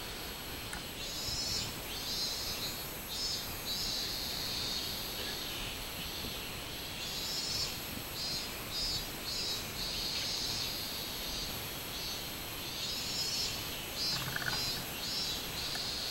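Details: Robust cicada (minminzemi) singing on 24 July 2016: a pulsing, buzzy high band repeated in rhythmic bursts throughout, with a steady shrill chorus in the background.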